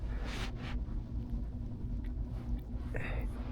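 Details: Quiet indoor rumble and low hum with a few soft rustles and faint taps, and no animal voice.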